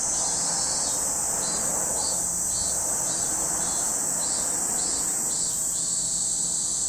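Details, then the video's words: Cicada chorus at Lake Kamo, Sado City, Niigata Prefecture, Japan: a continuous shrill hiss, overlaid by a second rhythmic pulsing buzz repeating roughly three to four times a second. "Lake Kamo in Sado City, Niigata Prefecture, Japan, where you can hear the voice of cicadas."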